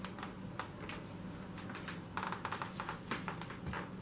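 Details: Indoor tapping and clicking like handling objects over a steady low hum, no animal voice.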